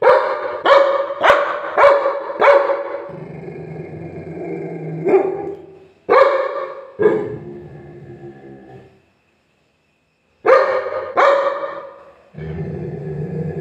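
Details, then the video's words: Angry Labrador Retriever barking: a quick burst of five sharp, harmonic-rich barks in the first two seconds, then a low rumbling tone, several more scattered barks with echoing tails, and a brief silence before two final barks. "labrador dog angry moment"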